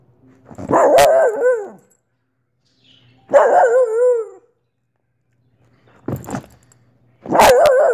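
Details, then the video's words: Soft Coated Wheaten Terrier Olive letting out drawn-out, tonal howling barks, each wavering in pitch for about a second, four in eight seconds with brief sharp clicks between. "Olive the Wheaten terrier barking"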